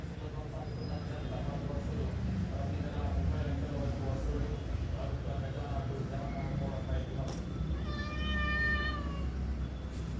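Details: Pet cat in a back-and-forth with its owner: a man talks at length in Telugu, then a clear drawn-out meow follows near the end, with a few clicks and low rumble.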